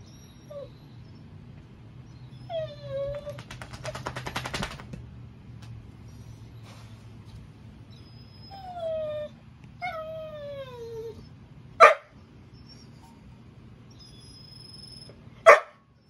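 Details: German Shorthaired Pointer whining because his owner holds his tug toy; high, thin whines sliding downward, some wavering, in separated bursts, with a brief rattling buzz and two sharp clicks indoors.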